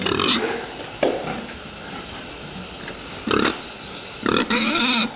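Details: Fattening pigs, with a few short grunts and then a shrill, wavering squeal at the end over a steady hiss.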